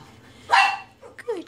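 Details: Dog giving a single sharp, harsh bark with broad noisy energy, followed by quieter short yelps or voice-like sounds, with a faint low hum in the background.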